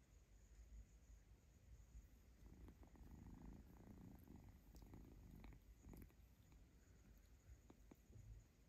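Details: Young kitten purring from pleasure as its owner strokes it, pausing to grab and nibble fingers in play; low continuous purr swelling in the middle, with scattered sharp clicks and rustling from the handling.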